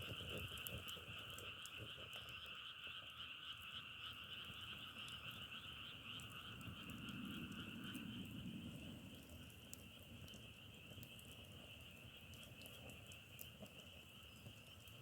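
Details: Frogs calling together in a chorus compared to burning firewood, a loud buzzing two-layered trill for about eight seconds that then drops back to a softer, thinner chorus, with low rumble and occasional clicks.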